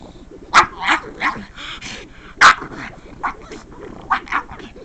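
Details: Female pug Roxy responding to the sound of couch scratching with odd noises; short sharp yips and grunting barks come in uneven bursts, roughly eight over five seconds, with quieter whiny murmurs between.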